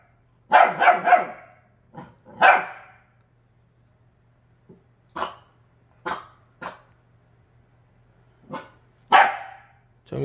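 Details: Indoors, a Jindo dog rescued from a slaughterhouse barks at its refrigerator reflection: a quick cluster of three loud barks, then sparser single barks and softer huffs separated by silences of one to two seconds.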